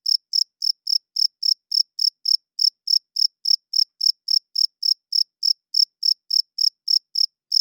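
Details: Night-time cricket chirping, produced by the male's wings to draw females and claim territory; a long, regular series of shrill, high-pitched pulses about three and a half per second, with a tiny gap near two and a half seconds.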